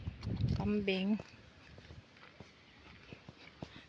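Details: Domestic goat found down by the river under a blazing afternoon sun while its owner hunts for strayed goats. One short, quavering bleat lasts about half a second, with low voices and rustling just before. Scattered faint clicks follow.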